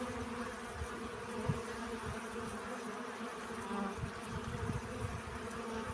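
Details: Bee collecting pollen, a steady low hum with layered tones held through the whole stretch, with soft thumps and a faint hiss of background noise.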